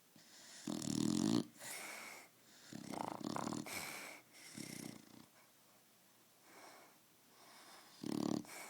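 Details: Roxy, a pet dog, asleep and snoring: rough, buzzy inhaled snores in bursts about a second long, separated by quieter breathing pauses, several snores across the stretch.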